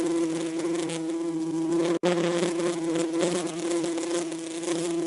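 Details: Steady humming buzz of a bee, low-pitched and droning with bright overtones, with one brief silent cut.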